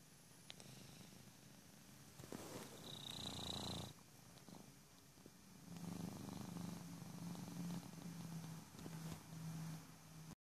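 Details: Loud snoring from a sleeping male Persian cat, a rough low rumble in uneven breaths: a noisy burst early on, a short pause, then a longer steady buzzing stretch. A brief high tone is also heard.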